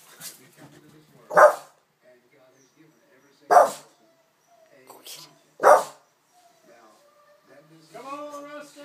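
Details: Boston Terrier freaking out at a family member dressed in a chicken suit: three sharp, loud single barks about two seconds apart, followed by a person's voice at the end.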